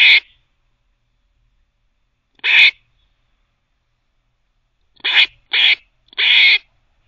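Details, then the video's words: A teething squirrel barks in short, scratchy bursts: a single bark, another after two seconds, then a quick run of three ending in a longer rasp. The background is silent. "Squirrel barking (while teething)"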